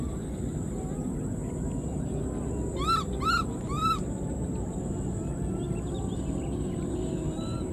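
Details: Abandoned newborn wild baby monkey keeps calling for its mother, giving a quick series of three bright, arched squeals with strong overtones, each rising and dropping, against a constant low hum.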